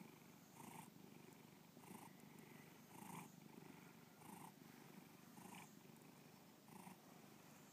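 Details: Domestic cat Bubba purring contentedly, Lakewood, Ohio, 2013; deep continuous rumble with brighter breath pulses recurring about every 1.2 seconds, otherwise quiet room.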